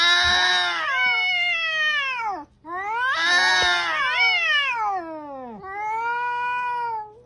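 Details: Angry cat giving loud, drawn-out wailing cries that waver and slide downward. Three long yowls each last about two seconds, separated by brief gaps.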